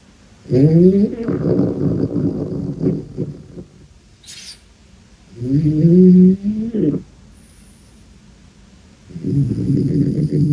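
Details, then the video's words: Sleeping pet dog snoring: three drawn-out, nasal, harmonic breaths of one to two seconds each, rising slightly in pitch, separated by quiet pauses, with a brief faint high hiss between the first two. "ХРАПИТ собака"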